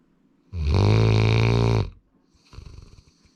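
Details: A pet male Labrador Retriever named Sora gives a long, loud, low rasping snore of over a second, followed by a softer, fluttering breath.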